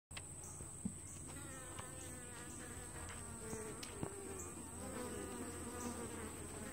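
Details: Honey bees at the entrance of a two-week-old walk-away hive split, traffic coming and going; a steady low droning hum with scattered louder buzzes of individual bees passing close, plus a faint constant high whine.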